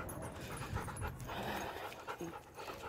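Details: Macho, a Rottweiler, on a short walk to the park and back home, pants with soft, rapid, breathy puffs throughout, over low outdoor background rumble.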